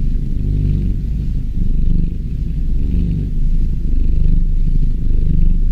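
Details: A kitten purring: a deep, continuous, rumbling vibration with a rapid pulsing texture. It holds steady throughout with slight swells in loudness. No other sounds stand out.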